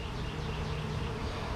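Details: Bees inside a hive during an open inspection, with mostly uncapped comb and the queen not yet seen: a dense, steady low droning hum with a faint higher band, unbroken from start to finish.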